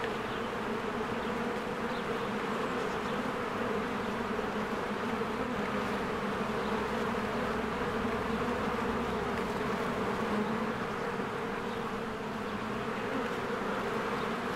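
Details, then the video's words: Swarms of honeybees circle their cozy hive in spring, their wings making a constant buzzing drone with small swells as individual bees pass close. Occasional faint bird chirps sound behind. "1 Hour of a Beehive ASMR"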